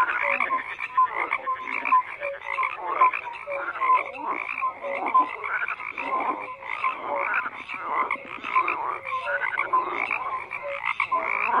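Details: Dense chorus of many frogs croaking without pause, rough pulsed croaks overlapping with short whistled notes, a steady layered din with no other sounds.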